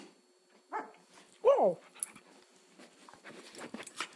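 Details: Pet dog named Luke making funny noises, filmed on an iPhone 3GS: a short rising-falling whine, then a louder wavering yelp with bright harmonics, followed by faint clicks and rustling indoors.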